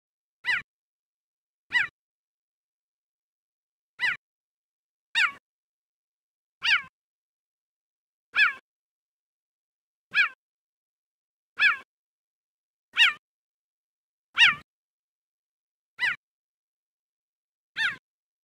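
A cheetah gives short, high, bird-like chirps, repeated at uneven intervals of one to two seconds.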